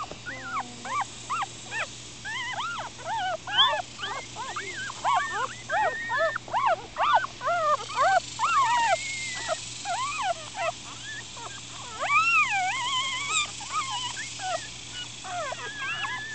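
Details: Four-day-old Miniature Schnauzer puppies, black and silver and black, upset and squirming: a dense chorus of short high squeaky whimpers and cries, overlapping, about two per second, with longer wavering yelps near the end.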